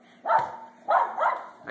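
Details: Excited pet Pembroke Welsh Corgi bitch, described as feisty and often acting this way, gives two short bursts of harsh yapping barks separated by a brief pause, with a faint low electrical hum behind.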